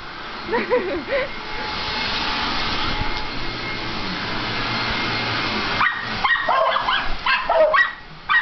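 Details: Cody the beagle and Buddy the miniature pinscher playing together: a few brief yips at the start, a long stretch of scuffling, rustling noise, then a lively run of sharp barks and yelps during the final seconds.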